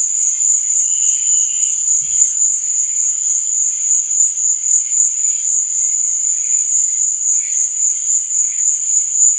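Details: Crickets chirp through the night in a steady, high, ringing trill, with occasional softer lower chirps and one faint low thud near the start.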